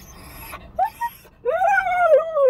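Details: Siberian Husky puppy Bandit, left alone in a car for a few minutes, lets out a short yip, then a long rising-and-falling whining howl over a quiet car interior.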